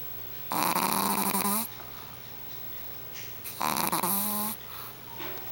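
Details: Sleeping Shih Tzu puppy, four and a half months old, giving two long, harsh snores about three seconds apart, each a rough, buzzing rasp lasting around a second, in a small quiet room.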